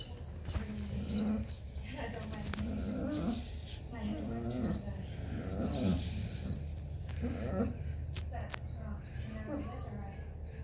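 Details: A Basset Hound gives deep, drawn-out howls while a person talks over them; he is said to be sad, waiting for the grandkids to come out to play and missing his bulldog buddy taken to the vet.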